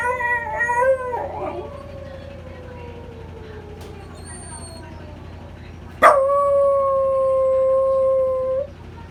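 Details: Male Welsh Corgi, born August 2015, howling in response to the Memorial Day siren: a wavering howl sliding slowly downward, then after a sharp click a long, steady, level mournful tone held for nearly three seconds.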